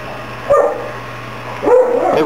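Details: A big dog, heard while visitors drop by, gives two short, clipped barks about a second apart over a low steady hum, with Finnish conversation nearby.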